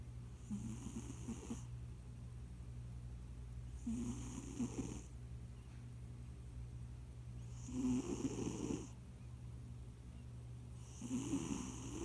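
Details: Leon, a chubby house cat nicknamed Debunyan who recently joined the family, snoring while asleep: slow rhythmic snores about every three to four seconds, each a rasping breath with a breathy hiss, over a steady low hum.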